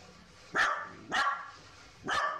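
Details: A female Kaninchen dachshund, born 2014, gives three sharp, bright barks to announce the father of the household coming home; she grows restless and starts calling about 30 minutes before his return.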